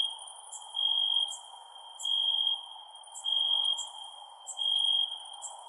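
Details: Crickets at night give steady, high, pulsing chirps, each burst about a second long, over a soft background hum.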